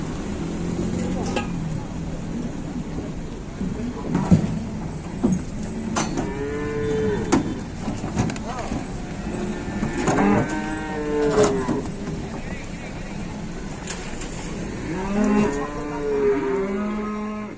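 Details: Cattle coming down off a truck in Indonesia low repeatedly, several arching moos spaced a few seconds apart, some deep and short, others longer and higher, with sharp knocks and bangs of hooves or metal throughout.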